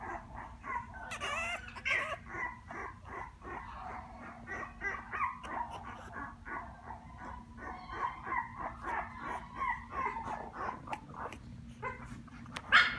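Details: Puppy, recorded on 1 November, making a long run of soft yips and whines, some overlapping, with a faint steady hum underneath.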